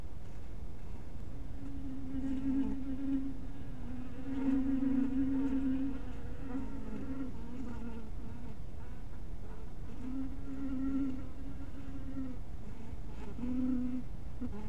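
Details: Buzzing honey bees around a bee cottage at dusk, the steady low hum swelling in long stretches of several seconds as bees fly close, then dropping away, with a dull rumble underneath throughout.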